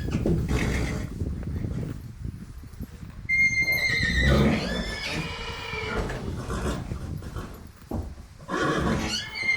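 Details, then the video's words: Horse whinny, a strong quavering neigh with bright high harmonics sliding downward, preceded by low rumbling and breathy noise and followed by a shorter, rougher whinny near the end. "Жылқының дауысы / Звуки лошади / ржание коня / голос лошади / Horse sounds"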